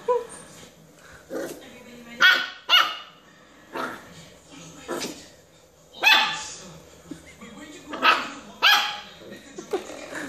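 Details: A tiny puppy gives its first barks at a doorstop it finds fun but scary, with short, sharp, high yaps in pairs and bursts over ten seconds and a person talking softly between them.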